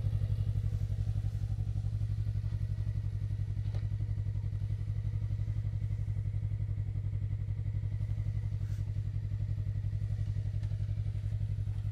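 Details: An idling motorcycle engine throbs steadily throughout, with a few faint clatters and thuds outdoors and no animal voice audible.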